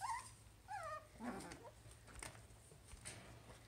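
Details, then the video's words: Havanese puppies playing together indoors on a Friday morning: brief high squeaky whimpers and yips in the first second and a half, followed by quieter scuffling and rustling with steady background hum. "Havanese puppy play"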